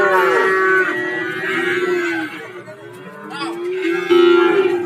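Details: At a busy cattle market in Warujayeng, Nganjuk, Indonesia, cows give loud, long moos, one strong call at the start and another near the end, with market chatter filling the pauses.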